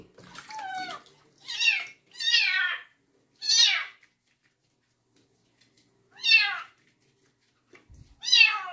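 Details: Kitten's distressed meows at her first bath, a female stray taken in at night from construction workers; six loud, strained, downward-bending cries in uneven bursts, separated by short silences, in a quiet indoor room.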